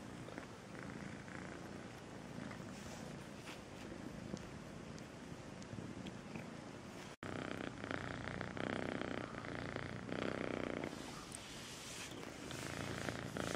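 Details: Kitten named Melissa purring sweetly, a steady low rhythmic rumble about three pulses a second, growing louder and rougher after a brief break midway, with light rustles.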